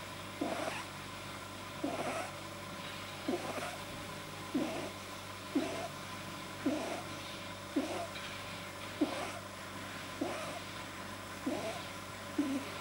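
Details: Domestic bunny with a probably overlong soft palate, producing sounds while deeply relaxed; regular brief wheezy squeak-snorts roughly every 1.2 seconds, ten in a row, with a constant background hum.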